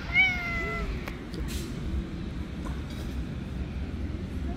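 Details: Stray street kittens climbing onto a lap give one clear, high, drawn-out meow with a slight downward bend, followed by quiet low rumbling background noise.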